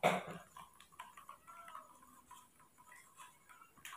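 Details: A newborn baby monkey, hand-reared indoors at night while warm milk is readied, makes a string of faint, high, slightly wavering squeaks after a sharp rustling thump at the start.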